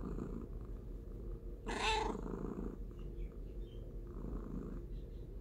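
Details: Cat purring in a soft, even low drone, interrupted once by a short, breathy burst early on, with faint higher squeaks afterwards.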